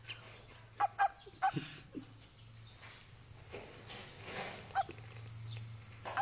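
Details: A frog in Kungrad, Karakalpakstan gives short, sharp barking notes, singly and in quick pairs, over a low steady hum.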